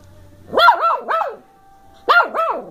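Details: Playful 10-week-old female Bedlington Terrier puppy of working strain, from the hills of South Wales, recorded in December 2013: two bursts of high, yappy puppy barks, three quick yips then two more after a pause.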